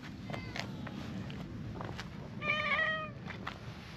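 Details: Brown tabby-and-white stray cat by a pond in a park, moving to a spot where it is easier to pet, gives one short, clear, slightly wavering meow lasting about half a second amid faint outdoor background noise.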